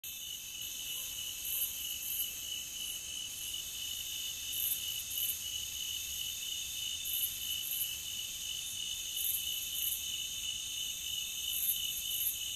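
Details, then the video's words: Crickets in a nature ambience track: a dense, steady high chirring with bright bands layered at several pitches, pulsing quickly and without pause for the whole stretch. No other clear sounds. "Nature Cricket Sound"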